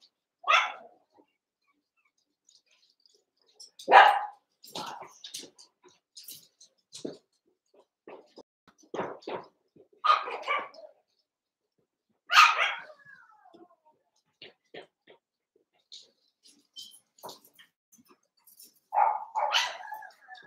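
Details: Young Cavalier King Charles Spaniel puppies wrestling and playing together in a pen, eight littermates and pen-mates; sharp isolated yaps and short barks burst out every few seconds between stretches of near silence.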